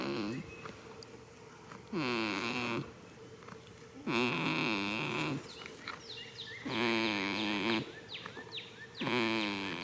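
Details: Goat snoring while asleep in a field on the first day of spring: droning, buzzy breaths with a steady hum, repeating about every two to three seconds, with quick bird chirps between them.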